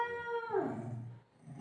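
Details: Golden Retriever family dog playing with its mother figure at home; a single drawn-out, tonal whining howl holds steady, then slides downward and fades within about a second, with faint room noise behind.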